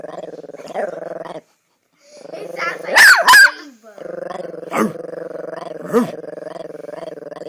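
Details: A Chihuahua's steady rattling growl, broken midway by two quick sharp barks and a couple of short yelps, then resuming the low throaty rumble.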